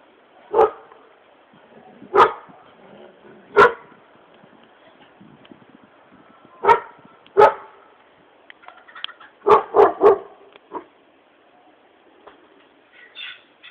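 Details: Dogs barking in Bulgaria, scattered sharp barks several seconds apart, then a tight cluster of three, with faint background noise and a few softer sounds toward the end.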